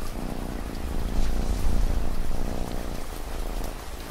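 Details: Domestic cat purring steadily, a deep low rumble with soft rhythmic pulses, set against a constant hiss of falling rain and scattered raindrop taps.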